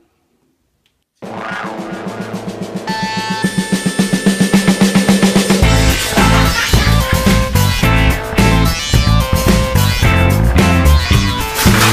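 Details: About a second of silence, then rock music with guitar and a steady drum beat builds and continues to the end; no animal sound is heard.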